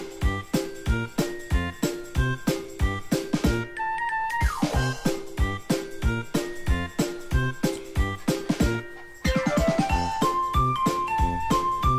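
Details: Upbeat music with steady rhythmic beat and rising melodic runs, no animal voice heard.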